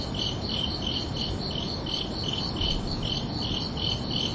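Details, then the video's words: Night-time cricket chorus with bright, high chirps repeating roughly twice a second in an even rhythm, set against a soft, continuous low-frequency hum. "Calming Cricket Sounds for Relaxation"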